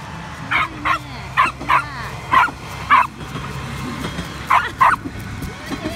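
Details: Six-year-old Jack Russell Terrier in Kochi, Japan, a dog that loves diesel trains, giving about eight sharp barks, mostly in quick pairs, over six seconds, with people talking and a clap in the background.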